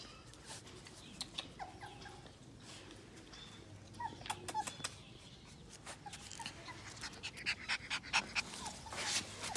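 A Chow Chow puppy gives soft, high whimpers and little yips amid faint panting.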